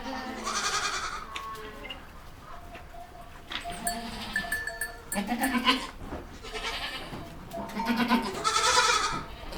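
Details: Bleating from baby goats: a series of wavering calls spread across the recording, several ending in strong, bright cries, with clicks and handling noises in between.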